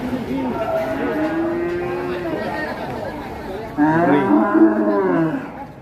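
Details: Cattle coming off a truck, one animal agitated, bleeding from the nose; a drawn-out lowing moo amid chatter, followed by a louder wavering bellow and voices.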